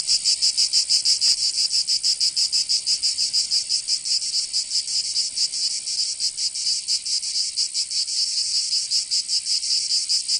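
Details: Summer cicadas in Provence, southern France, producing a constant shrill high buzzing with looser, less regular pulsing, the beats blurring into a steady drone in the later seconds.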